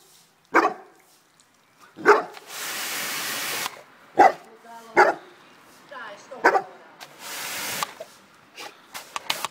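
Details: Cane Corso facing a mini washer, giving single deep barks every second or two, alternating with long hissing spray bursts from the machine and some brief speech.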